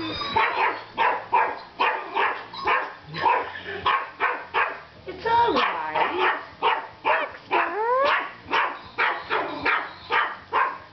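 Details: Toy Yorkshire Terrier named Baxter meeting a fake robotic dog for the first time. Short, sharp yappy barks come in a rapid, steady run of about twenty bursts. Two swooping, falling tones near the middle and later stand out.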